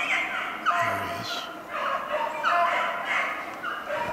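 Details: A pack of Beagles baying while hunting snowshoe hare, 2/25/16. Several dogs cry at once in drawn-out, slurred, yodel-like bays that overlap in an uneven rhythm, with a brief low hum beneath.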